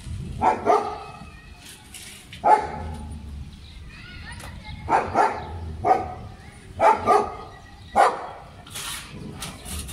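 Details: Playful German Shepherd in Pakistan barking in scattered bursts, single and double sharp barks spaced a few seconds apart, over a low steady background hum.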